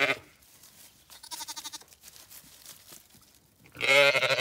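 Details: Zwartbles ewe and lambs on an Irish farm in County Kilkenny, the lambs just brought back after escaping: a shaky bleat in the middle, then a louder, longer quavering bleat at the end, with quiet rustling between.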